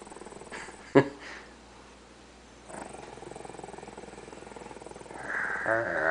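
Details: Pet dog named Lucky growling in frustration and anger as two people take away his bone; a low, rough, pulsing rumble comes in stretches, broken by a sharp knock near the first second, with faint talking and rustling around it.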